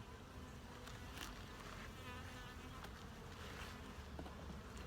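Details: Honey bees during a full hive inspection, looking for eggs, larvae and capped brood: a steady low hum of many bees fills the clip, with brief clicks and knocks of hive handling over it.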